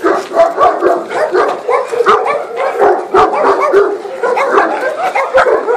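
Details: Thor, a puppy of three months, set against a Maremma sheepdog. Dense, continuous growling with overlapping yaps and rough barks runs without a break, rising and falling in quick pulses.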